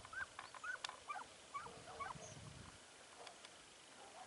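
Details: Segugio Italiano hound during hare hunting training in Evros, Greece, 12 September 2018; distant high, yelping barks come in a quick uneven burst over the first two seconds, then fade to fainter cries over a steady outdoor hiss.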